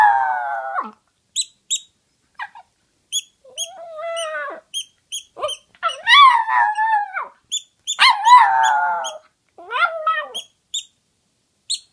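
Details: A toy poodle that likes to howl gives a long sequence of short, arching howls and yelping wails. Many rise and then drop, some are strained and loud, and a steady rapid ticking runs beneath them.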